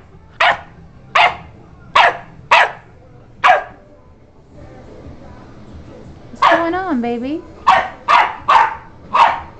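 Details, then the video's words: Pet dog Sadie barks over and over as Coach lies calm nearby. Single sharp barks arrive roughly every half second, broken by a pause, then a brief wavering whine-like voice before more barking. "sadie barks"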